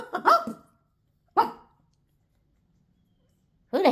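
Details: Pekingese dog barking indoors: a sharp double bark, then a single bark after a pause, and the start of another bark at the end, with a person's voice nearby.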